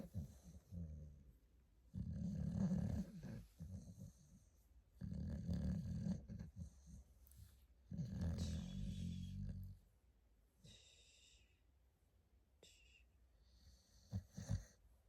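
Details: Staffordshire Bull Terrier puppy asleep and snoring: three long, low, rumbling snores about three seconds apart, each lasting around two seconds, followed by softer breathing and a few faint higher snuffles near the end.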